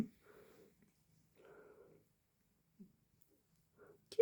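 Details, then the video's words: A sleeping cat snores indoors in a quiet room: soft, raspy breaths come in two drawn-out pulses roughly a second apart, then a short faint breath and a brief louder noise at the very end. "quem tá roncando???"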